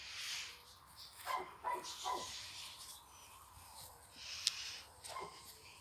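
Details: Chocolate Labrador Retriever puppies let out a few thin, high yelps close together early on, then a lone yip near the end over steady hiss.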